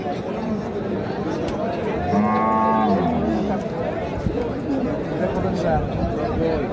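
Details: Cattle at the Saturday Kaharol cattle market in Dinajpur district, Bangladesh, on 1 March, being bought for meat: a single drawn-out, harmonic moo rises near the middle, surrounded by steady crowd chatter and bargaining voices.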